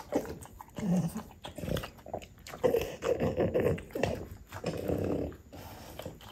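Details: Indoor French Bulldog vocalising over mango, one of a mother-and-son family of the breed; uneven nasal grumbles and whimpers in irregular bursts with short pauses, a brief higher squeak near the start, close and dry room sound.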